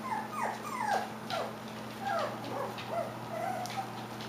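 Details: Klee Kai / Shiba Inu puppies about five weeks old whimpering: a string of high, falling whines and yelps, each sliding down in pitch, several per second, over a steady low electrical hum.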